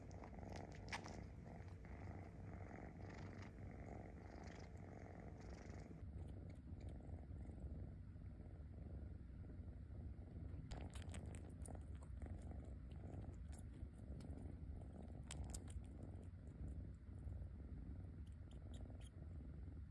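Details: Kitten rescued and living as a house cat suckles on its paw pad; continuous deep purring underlies sharp wet sucking clicks, sparse at first, then clustered in rapid runs later on.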